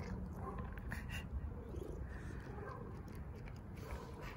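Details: A beautiful ginger stray cat comes up outdoors and asks for food. It gives soft, short meows that rise and fall, spaced about a second or two apart, against steady low rumbling background noise.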